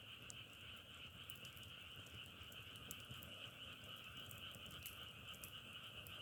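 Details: Frogs calling in a dense, unbroken chorus: a steady trilling drone with two layered pitches, one mid and one higher, while sharp crackling pops like burning firewood scatter throughout.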